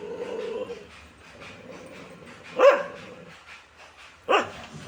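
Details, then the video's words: Dog giving two single sharp barks a couple of seconds apart, with a faint whine at the start and soft background noise. "dog original sound"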